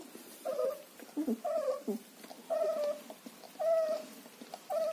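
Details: Young German Shepherd puppies in Chennai cry with repeated thin, level whines about once a second, with shorter lower yelps in between and a faint hiss behind.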